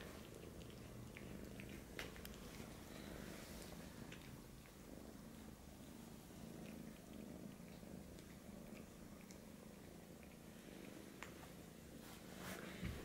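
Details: A British Shorthair kitten seeking milk from a Siamese male cat purrs in a long unbroken low rumble, with scattered small ticks and clicks, likely from movement, over about thirteen seconds.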